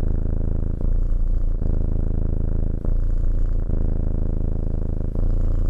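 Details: Petted house cat giving a steady low purr, a buzzing rumble broken by regular short pauses roughly every second as it breathes in and out.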